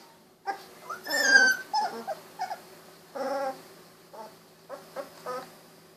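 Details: Young Golden Retriever puppies, 16 days old with eyes recently opened, snuggling and wiggling; a loud whine followed by a run of short yips and squeaks, another whine, and quick closing yelps.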